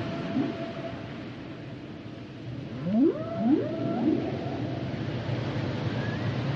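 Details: Underwater song of humpback whales: a long faint tone, then two sharp upswept cries leading into a held higher wail, and a brief high whistle near the end, over ocean hiss.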